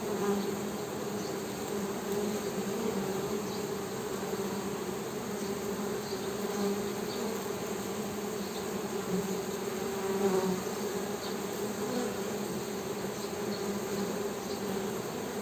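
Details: Honey bees humming in a steady, continuous drone, a low buzz with an overtone above it, the sound of many wingbeats blended into one unbroken tone with faint chirps overhead.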